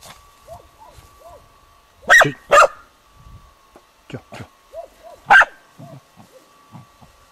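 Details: On 21 July 2011 a dog barks at a dead roebuck: two loud barks in quick succession, a third a few seconds later, with soft, higher whining notes and panting between them.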